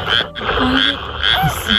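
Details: Frogs croak in a steady chorus of harsh, pulsing calls at night in a Japanese rice paddy during spring mating, with pairs seen mating; black-spotted pond frogs, Japanese tree frogs and Schlegel's green tree frogs are calling as it turns cold.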